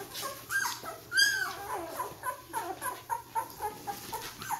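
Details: Ten-day-old Vizsla puppies taking their first steps indoors: a series of high, thin whimpers and squeaks, one louder rising-falling squeal near the start, then short repeated yelps about every third of a second, with soft rustling.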